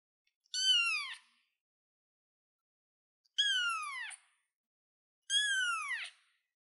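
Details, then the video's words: Young kitten on a chair, three short descending meows spaced roughly two seconds apart, each bright and harmonic, sliding downward at the end; no other sounds. "baby cat sounds cute kitten kitty cat on the chair"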